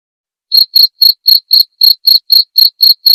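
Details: After half a second of silence, a cricket starts chirping in sharp, shrill pulses repeated about four times a second, recorded clearly as tutor material for white-rumped shamas, with no background noise.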